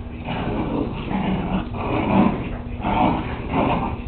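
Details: Playing whippet puppies growl in pulsing waves, roughly one swell every second, with whimpering yips mixed in, taken on a Kodak DX6440 camera.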